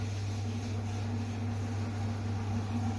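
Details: Steady low mechanical drone with a constant humming tone throughout, like an engine or motor running nearby; no animal sound.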